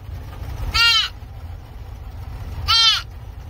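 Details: A rescued fawn gives two short, nasal bleats about two seconds apart over a low rumble.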